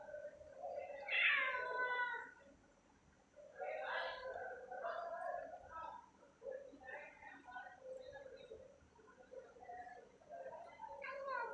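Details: Domestic cat at treat time, recorded at night: several short harmonic meows, one louder rising-falling meow near the start, others softer and broken, with quiet pauses between.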